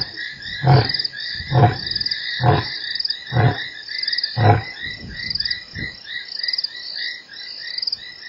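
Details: Lion roaring at Nkorho, 3 March: five deep, evenly spaced grunts, each under a second apart, trail off into a chorus of shrill insects and frogs that continues alone.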